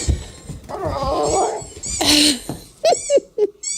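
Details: Pet dog crying in distress after hearing squeaky toy noises, which make her panic and run around; short rising and falling whines near the end follow a stretch of people talking indoors.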